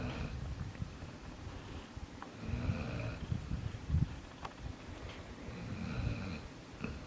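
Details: Jaxson, a sleeping pet dog, snores steadily in a small room: deep, rough, rumbling inhalations repeating every couple of seconds, a few sharper snorts and a thin whistly overtone on some breaths.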